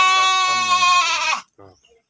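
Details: Breeding sheep in a farm pen in Subang, West Java, Indonesia, giving one strong, steady, harmonic bleat lasting over a second, followed by a short fainter bleat.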